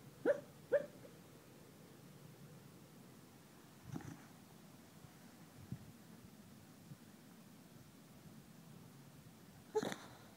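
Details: Pet dog barking in his sleep while dreaming indoors: short muffled woofs, two in quick succession near the start, another soft one mid-way and a final louder one at the end, with quiet room noise between.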